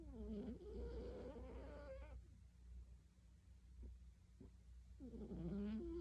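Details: Sleeping cat snoring: two drawn-out tonal breaths with wavering, rising and falling pitch, one at the start and one at the end, with a quiet gap between, over a steady low hum.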